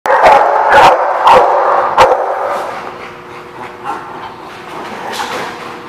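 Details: Dog barking in rapid, harsh bursts about twice a second, loud at first, then fading into quieter, scattered barks with an echoing, noisy background.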